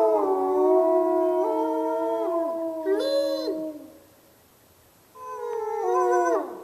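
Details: Chorus of wolves at the Lakota Wolf Preserve, Christmas: layered steady howls held side by side, one brief higher wavering cry, a pause of near quiet, then a fresh howl that falls away at the end.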